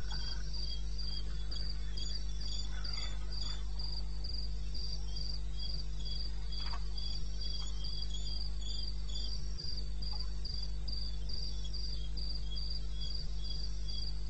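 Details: Crickets in the wilderness of eastern Botswana at night, recorded 21 May 16 at 02:30 AM: high, rapid chirps about three per second in steady rhythm, a second lower cricket pulsing alongside, over a constant low hum.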